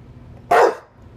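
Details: A single short, loud, rough bark from Rue, an English Bulldog waiting to be let out to pee, after a person asks if she wants the door opened.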